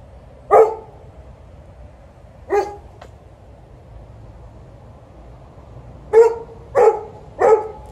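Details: Before a walk, an Alaskan Malamute and a Golden Retriever warm up vocally; single loud barks spaced about two seconds apart, then three quick barks in a row near the end.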